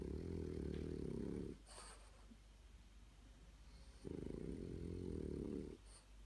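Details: Blue French Bulldog napping, snoring in two long, low, rumbling stretches of rapid rough pulses separated by a quieter pause.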